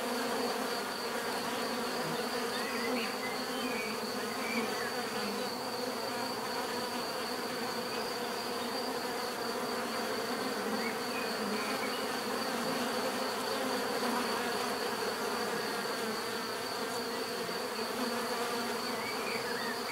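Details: [['Bees buzzing steadily in a natural setting, a dense continuous drone with layered harmonic bands and a thin high tone held throughout, no breaks or other clear sounds.']]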